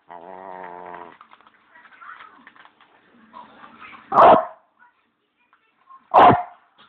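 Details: Bichon Leo, a house dog keen on his bones, barks sharply twice near the end after a stretch of faint humming tones and soft low sounds.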